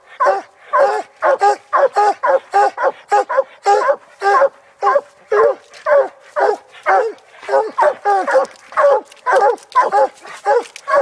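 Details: Coon hounds barking treed, a raccoon held up a tree on a hunt; dense run of loud, regular barks near two per second, voices overlapping with brief whiny notes between chops.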